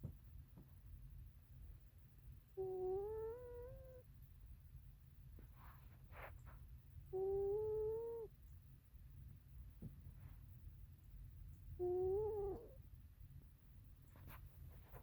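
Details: Sleeping cat snoring: three drawn-out, nasal whistling tones, each about a second and a half and rising slightly, arrive roughly every five seconds over a steady low hum.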